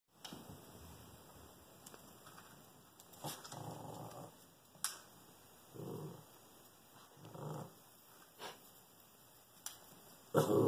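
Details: Shih Tzu named Bailey barking at a squirrel in a tree: quiet, low, muffled growl-like bursts, each about a second long, three or four spaced a second or two apart, with a few sharp clicks in between and a soft indoor background.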